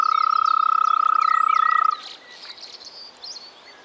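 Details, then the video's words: Frog in spring, Czech Republic, giving a loud, rapid, buzzy trill of steady pitch for about two seconds before cutting off, leaving soft background birdsong. "European frog calls"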